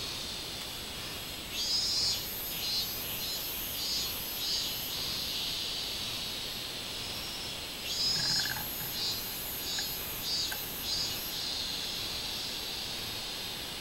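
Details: Minmin cicada singing on 24 July 2016 in summer: two series of loud, pulsed, high buzzy notes repeated roughly every half second, one from about two to five seconds and another from eight to eleven seconds. A brief lower tone sounds near the second series.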